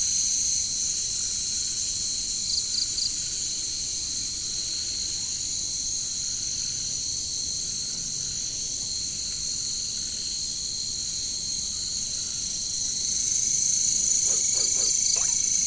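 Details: Caricangkas, or katydids and bush crickets, in jungle surroundings: a constant piercing high-pitched insect drone, with a few brief chirps and a cluster of short clicky pulses near the end as the chorus swells.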